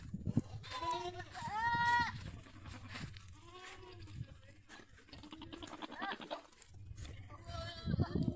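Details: On a goat farm in Pushkar village, Ajmer, Rajasthan, India, a loud trembling bleat is followed by softer overlapping bleats from other goats, with human chatter throughout.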